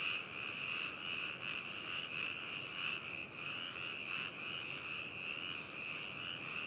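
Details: Chorus of many frogs at Hakushu in Yamanashi, Japan, recorded binaurally on 4 May 2018; overlapping high, rattling croaks pulse roughly one and a half times per second in a steady wall of sound, without other noises.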